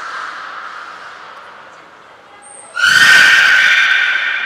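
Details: Belugas at Port of Nagoya Public Aquarium during a training session with all animals taking part, 2 April 2023; after near-quiet, a loud, harmonic-rich tonal call like a horse's whinny starts abruptly and holds steady to the end.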